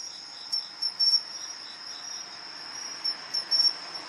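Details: Two pine crickets call back and forth, competing with bright, high 'chin-chirorin' phrases of two short chirps and a quick trill, repeated.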